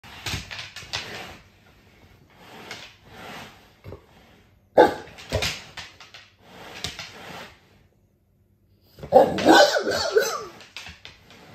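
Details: Dogue de Bordeaux indoors trying to annoy its owner, giving bursts of gruff, grumbling vocal sounds and short barks in uneven clusters, with pauses between, in a small room.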